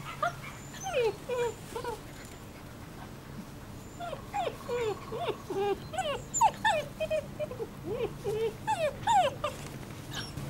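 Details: German Shepherd puppies from a litter of two males and four females born 27 July 2014, sired by Eros v.d.Romerau out of Iska v.Muikenshof; high, wavering whines and yips overlap in quick, irregular succession over low background hum.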